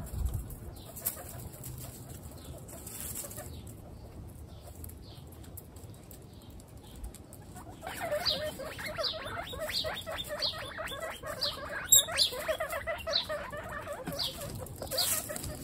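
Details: Pet guinea pigs from a household of 28, mostly females with two males. A low, quiet stretch gives way after about eight seconds to a dense chorus of overlapping, harmonic squealing wheeks, several per second, rising and repeated until the end.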